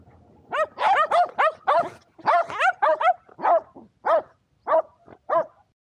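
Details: Two Shetland Sheepdogs named Power and Beat playing frisbee outdoors on a sunny day, 23 February 2022, in Chiba, Japan; a run of about twelve sharp, excited barks, fast at first then spacing out, with faint background noise.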